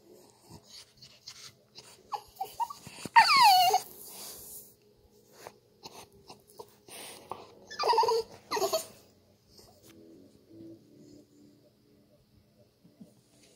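A French bulldog gives nasal, high-pitched whines that slide downward, with short snorts and huffs between them. The pleading cries come in two main bursts as it begs to get onto the couch.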